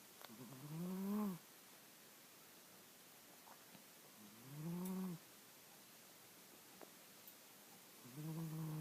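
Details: A sleeping house cat named Mr. Jigilo, or Jiggy, snoring steadily: three low, rasping, buzzy breaths, each about a second long, coming roughly every four seconds against quiet background hiss.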